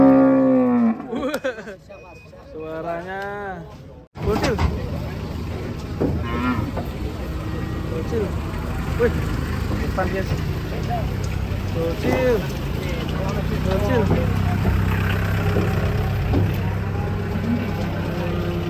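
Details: Cattle lowing: a few drawn-out, harmonic moos with wavering pitch in the first seconds, then a sudden switch to dense background noise with vehicle rumble, music and faint voices.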